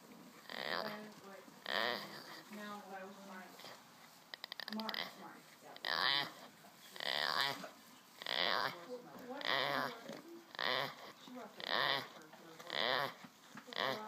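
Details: Male Boer goat kept by its owners, making strange noises while asleep: rhythmic, harmonic, nasal bleat-like bursts about once per second, some rising and falling, with a brief rattle of clicks near the middle in a quiet indoor setting.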